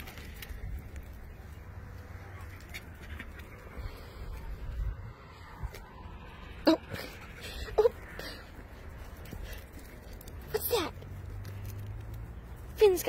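A fox gives a few short, sharp yelps and squeaks, spaced several seconds apart.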